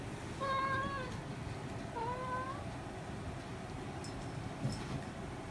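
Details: Talkative domestic cat with a distinctive voice: two drawn-out, slightly wavering meows about a second apart, then quiet, over steady indoor background noise.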